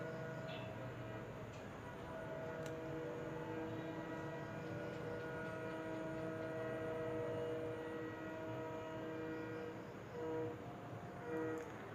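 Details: Steady low rumble of a train or other vehicle with droning engine tones, and no animal voice heard.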